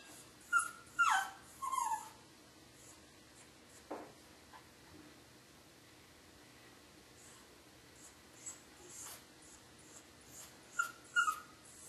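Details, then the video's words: Pet dog whimpering during a thunderstorm, several thin high cries with falling pitch near the start, a soft thud, quiet breathing-like sounds, then two more whines at the end. "Crying During a Thunderstorm"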